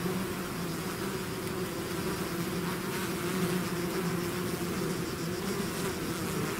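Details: Loud, dense drone of a bee swarm out of its hive, steady humming tones under a wash of rushing wingbeat noise with no pauses.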